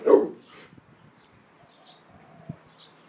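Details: Rottweiler on alert at an emergency vehicle siren, a sign of a good guard dog; one sharp, loud bark opens, followed by a fainter breathy echo and near quiet with small clicks.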